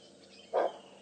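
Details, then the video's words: Nyala at Djuma Game Reserve on a morning safari drive, 25 February 2015, barking after seeing the leopard Karula: a single short, sharp mid-pitched bark, with faint background hiss. "That's the Nyala bark."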